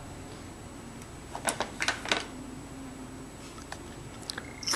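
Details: Quiet indoor room with a few short clicks and taps, like light tapping or handling noises, and a faint steady hum in the background.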